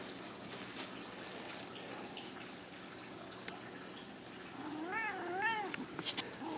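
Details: Nine-year-old black male cat playing fetch at home gives two short arched meows near the end, after quiet stretches and a man's encouraging words about getting the toy.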